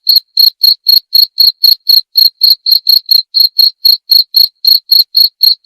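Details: Steady cricket chirps, presented as a rat-repelling and relaxing sleep sound, pulsing at roughly four per second with even loudness throughout and nothing else audible in the background.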